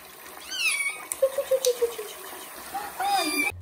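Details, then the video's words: Kitten during its first bath indoors, giving a high, falling meow near the start, then a run of short descending chirpy notes and a second meow near the end over a hissing background. "First bath for kitten Johnny and its loud meow"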